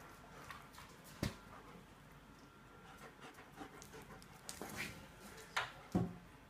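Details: German Shepherds playing, two females ganging up on a male; rapid irregular panting with soft huffs and a few sharp thumps and scuffles, over a low background hum.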